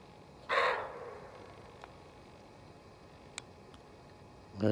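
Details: Roe deer doe barking in a forest when disturbed, a danger warning: one abrupt, coarse bark early on, then near silence with small ticks, and a human voice starting at the very end.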